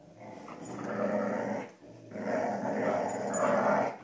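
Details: Cujo, Kali and Lilly, dogs at play tugging a rope: two long, loud, gravelly growls, each over a second and a half, separated by a short breath-like dip, the second one rising in intensity.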